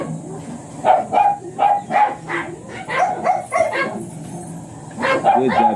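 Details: Blue Miniature Pinscher named Ziggs at a kennel in Manaoag in the morning; sharp, high yapping barks in quick bursts, about three per second, with a pause before a final cluster and a steady high hiss behind.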